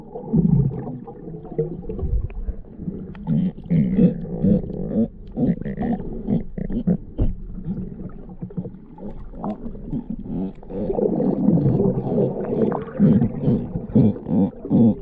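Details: Galapagos sea lion, Zalophus wollebaeki, giving low, rough, throaty calls in overlapping bursts, with dense growling and barking sounds throughout and a louder chorus toward the end.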